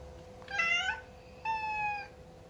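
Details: Indoor Persian cat, unsettled and sad after moving to a new home, calls two clear meows about a second apart, the first bright and arching, the second longer and level, over faint household hum.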